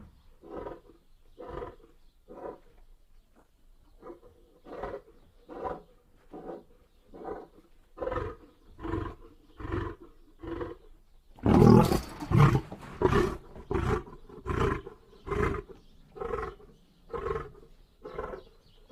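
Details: Lion roaring in a long series of deep grunts, each about a second apart and growing louder midway before easing off; a harsh broadband burst breaks in near the middle.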